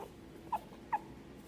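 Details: Pug puppy giving two short, high squeaky whimpers about half a second apart in a quiet room.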